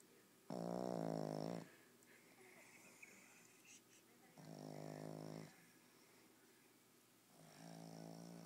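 A Boston Terrier snores in loud, rasping, buzzy breaths roughly every three to four seconds.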